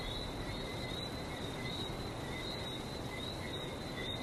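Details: Frog chorus on a trip to Barbados: a steady stream of short, high, repeated whistled notes from many callers forms a constant shimmering layer over a low, continuous rumble of surf.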